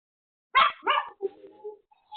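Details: Pomeranian named Pomeko, home alone, barking at a sudden visitor: one sharp bark followed by a softer second bark and a brief low whine, then quiet.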